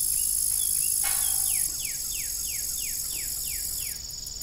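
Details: Crickets keep up a bright, high evening trill around an old farm windmill as a run of quick descending whistled notes repeats about four times a second, with one creaking knock early on.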